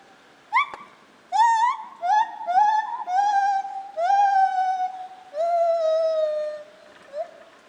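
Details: Captive lar gibbon at Zoo Opole, 2015. Strong, resonant hooting notes stretch into long sustained wails that slide slightly downward, followed by a brief quiet pause and one final short hoot.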